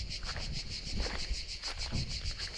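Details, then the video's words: A continuous pulsing insect trill from crickets deep in a forest keeps a fast, even beat of several pulses each second, with soft low rumbling and scattered rustles underneath. "গহীন এক জঙ্গলে গিয়ে ঝিঝিঁ পোকার শব্দে মুগ্ধ হয়ে গেলাম"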